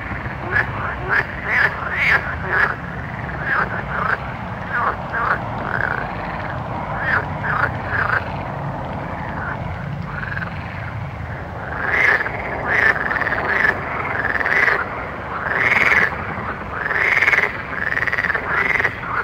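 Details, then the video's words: Night-time frog chorus: many short croaks overlapping, quieter in the middle and building to louder, ringing calls near the end, with faint clicks throughout. "Soothing Night Frog Sounds"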